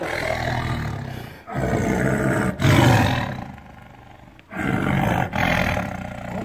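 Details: A tiger roars in a dense series of deep, rasping bursts, several back to back with short breaks, a strong low rumble running throughout.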